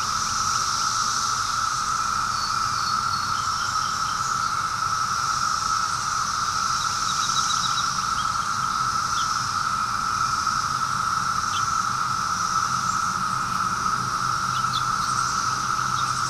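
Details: A steady, unbroken cicada chorus, recorded on the afternoon of 23 May 2013, hums at a single mid pitch, with a thin high hiss above it.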